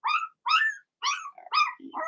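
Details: In an indoor puppy pen, Blenheim Cavalier King Charles Spaniel puppies yap in bright, high barks with clear ringing tone, four strong barks followed by a lower grumbling sound.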